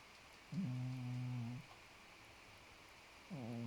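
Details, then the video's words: Sleeping cat Podo snores with a low humming drone held for about a second, then a pause, then the next snore beginning at the very end. "장포도 코고냥 Podo's snore"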